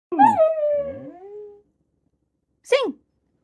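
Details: Young female Siberian Husky puppy learning to howl indoors: a long wavering tonal howl that dips and slides downward over about one and a half seconds, followed after a pause by a short sharp yelp.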